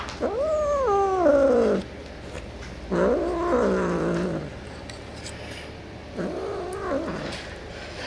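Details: Cat reacting to edible toys indoors: three separate long yowls, each sliding upward, wavering, then dropping, spaced by quiet gaps of a second or more.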